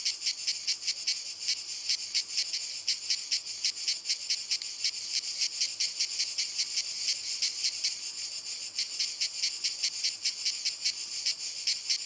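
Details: Chorus of cicadas on walnut trees, a continuous shrill buzz pulsing in quick regular beats, about two or three per second, with a faint thin whine joining briefly near the end.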